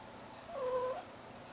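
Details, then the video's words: Cat in heat, kept indoors with a deaf ferret, giving a single drawn-out meow under a second long, rising then falling slightly, over a faint room hum. "Deaf ferret loves a cat in heat"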